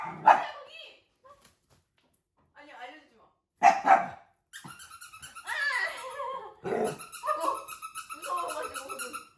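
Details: Indoors, puppies baffled by an invisible wall give loud, abrupt barks at the start and again after a pause, then a stretch of pulsing voiced sounds and excited yaps overlapping with people talking.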